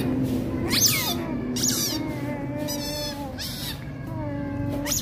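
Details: Little Rottweiler puppies fighting, with sharp squeals and short falling yelps followed by softer sustained whines, over low background hum.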